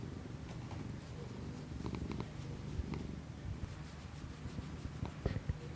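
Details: Close-miked purring of a domestic cat, recorded via iPhone and Shure MV88 microphone for ASMR; continuous deep vibrating rumble with light ticking noises scattered through.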